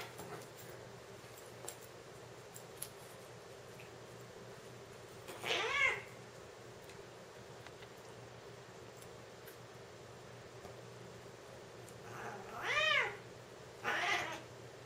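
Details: Two male Siamese cats fighting or playing, a three-year-old lynx point and a seal point of about nine to ten months; three drawn-out wailing meows, one near six seconds and two close together near the end, over quiet room hiss.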